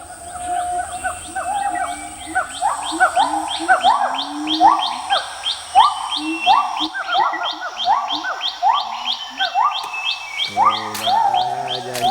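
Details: Siamangs, the howling gibbons that guard a secret garden at the foot of a crater near Lake Maninjau in Minang country, greeting an old man as he arrives: loud rising whooping notes in a fast, accelerating series, ending with lower bark-like hoots.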